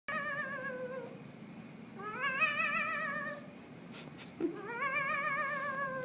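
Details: Pet cat, a black Halloween kitty, indoors in a small room, giving three long drawn-out meows with a wavering pitch: the first falling, the second rising then level, the third rising; a brief thump comes between the second and third.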